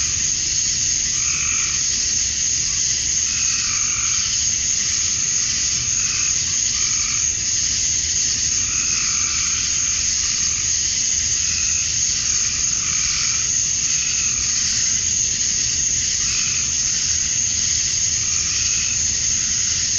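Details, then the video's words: Male cicadas chirping to attract females at dusk on a summer night in Georgia, USA: a steady high, hissing drone with softer pulsed calls in the middle range returning about every two seconds. "Cicadas at Dusk, Summer Night"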